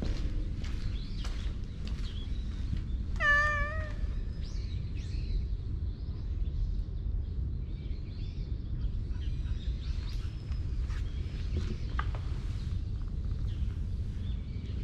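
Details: In a park, a friendly, approachable black cat utters a single short, clear meow that bends slightly downward, surrounded by scattered bird chirps and tweets and a constant low hum of outdoor noise.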